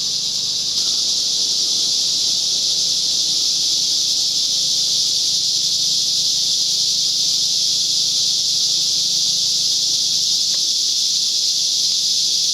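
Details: Larger cicadas calling very loudly beside Whitewater Draw near the Chiricahua Mountains on 9-10-2021, a dense continuous shrill whirring that never pauses, with faint low background rumble beneath.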